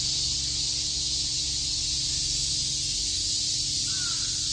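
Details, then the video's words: Many cicadas chirping on a summer day in Shakujii Park, Tokyo: a dense, steady, hissing drone, high-pitched and unbroken throughout, with a faint brief call near the end and a low hum underneath. "Cicada chirps"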